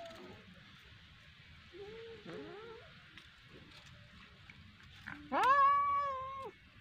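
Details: Cat playing with a fish, giving one long, drawn-out meow near the end, held at a steady pitch with rich overtones, after a quiet stretch with a few faint short sounds in the background.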